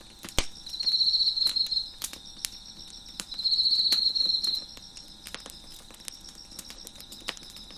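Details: Crickets chirping beside a crackling fire on a deck: two loud, high buzzy trills, each about a second long, stand out over a steady thin insect drone, while sharp pops and snaps of burning wood punctuate throughout.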